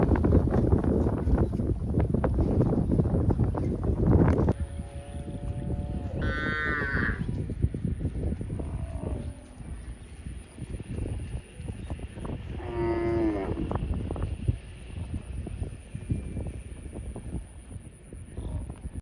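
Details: Grazing cow in a field lowing twice, a short moo followed several seconds later by a second wavering one, after a burst of loud low rumbling noise at the start.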